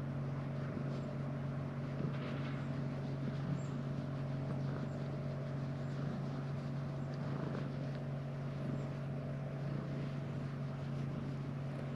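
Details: Steady low mechanical hum with faint background noise and no animal calls.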